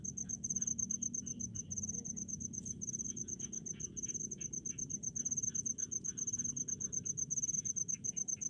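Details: Crickets in rice fields chirp in rapid high-pitched pulses, slightly quieter here, with intermittent mid-pitched clicks and a noticeable low droning hum beneath.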